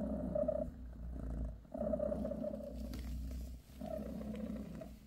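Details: Bassy, a British shorthair mother cat, purrs while grooming her kittens. Low rumbling purr comes in three long pulses of about a second each, separated by short quiet breaths, over a steady low hum.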